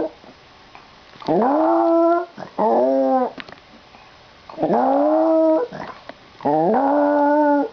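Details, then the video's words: Household dog producing a strange noise just before its owner departs for school: rising harmonic whimpers and moaning howls in uneven bursts, some short and stuttered, separated by quiet gaps. "Dog making weird noise"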